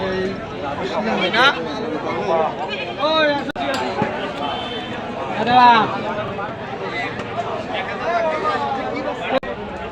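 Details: Black Bengal goats at a goat market: several wavering, quavering bleats rise over constant loud bargaining talk and crowd chatter, with a sharp knock partway through.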